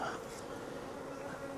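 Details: Wild honey bee swarm hanging from a tree branch, being collected into a five-frame nuc box; a dense, steady droning hum of many wings fills the air, with faint voices in the background.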